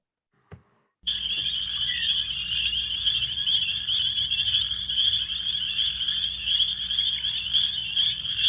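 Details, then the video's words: Chorus of many spring peepers calling together, played during a frog-call training session; after a brief click, a dense, continuous wall of high, piercing peeps begins, with individual calls overlapping at a fast rate, about two per second, and a low steady hum beneath. "yeah and that was a that was a chorus of uh spring peepers so that was a bunch of them calling together but you can kind of hear the individual calls"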